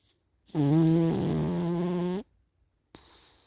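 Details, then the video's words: One long, nasal, vibrating snore from a sleeping cat, wobbling briefly in the middle, then silence and a faint breathy exhale. "Meo Snoring (sleepy cat)"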